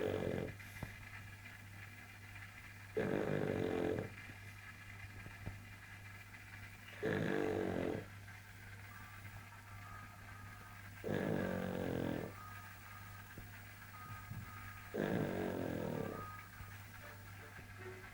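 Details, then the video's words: A pug snoring loudly indoors and keeping a cat awake: long, rasping, buzzy snores come roughly every four seconds, each lasting about a second, with a steady low hum between them. "Мопс не дает спать кошке дикий храп"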